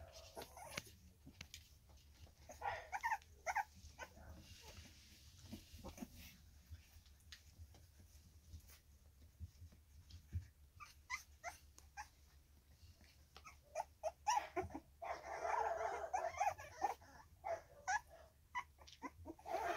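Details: Three-week-old Staffordshire Bull Terrier puppies from one litter, filmed 10 August 2024, give thin, high whimpers and squeaks in short bursts amid soft rustling.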